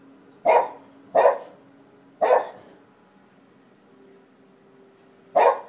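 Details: Indoors, Kobe the Shiba Inu barks at nothing: three quick sharp barks within two seconds, a three-second pause, then one more bark, over a low steady hum.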